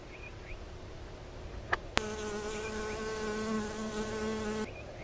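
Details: {'caption': 'Honey bee working flowers for nectar. After a couple of soft clicks, a clear, even buzz starts abruptly and holds steady for nearly three seconds, then stops. Faint bird chirps come before and after it.'}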